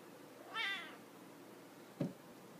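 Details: Young Siamese kitten calling indoors: one short high meow with a falling tail, followed by a brief low thump, otherwise a quiet room.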